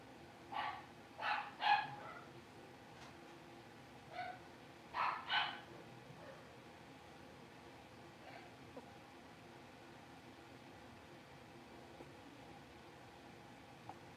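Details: Five blenheim Cavalier King Charles Spaniel puppies, born at New Year's, indoors in the Red Barn Cavaliers puppy pen after moving to the big pen. Bursts of short, high yipping barks in quick clusters, then quiet room hum.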